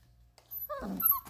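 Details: 33-day-old Vizsla puppies, with their mother nearby, give brief, high whimpering whines that waver up and down.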